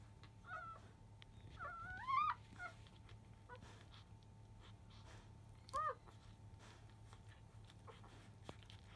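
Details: Field-type Labrador Retriever puppies aged five days, nursing again just past 1 pm; a few soft squeaks, then one longer rising whine near two seconds and a single short squeal later, with long quiet gaps and background hum.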